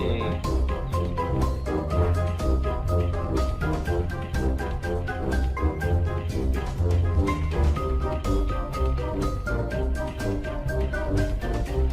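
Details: Bright mallet-like melody over a pulsing bass line and percussion, music only, with no animal voices.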